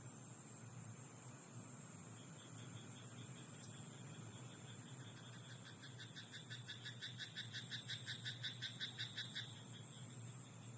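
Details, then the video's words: Frog in a rice paddy after dark, quiet at first, then bursting into a fast series of clicking, pulsed croaks that grow louder before stopping abruptly, against a continuous high whine and low hum. "田んぼのカエル "Croaking frog in rice paddy at night""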